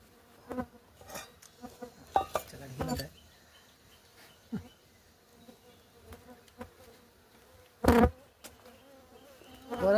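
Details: Stingless bees at a nest that has been broken open, giving short bursts of low, harmonic buzzing scattered among clattering handling noises and brief rustles, with quieter gaps between the bursts.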